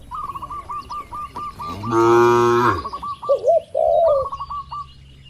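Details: A single deep, sustained moo lasting under a second, from tame cattle in the pen of a large farm. Repeated short chirps and soft warbling coos come before and after it.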